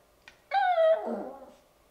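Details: Bichon Frise puppy, ten weeks old and eager to play, giving a drawn-out whining yelp that slides downward and ends in a rough, lower grumble, after a faint click.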